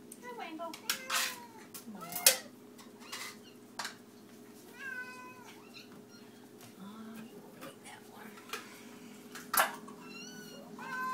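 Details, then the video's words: Several domestic cats meowing at feeding time, short harmonic meows rising and falling, overlapping callers, with clicks and clatter of dishes and a steady low hum in a small room. "The Cats Meow"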